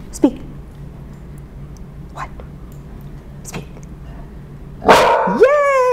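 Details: Service dog, indoors in a studio, barking on a speak command, a bark it keeps up until told to be quiet so neighbours know its owner has fallen; after quiet talking, two sharp, tonal barks, one rising then falling.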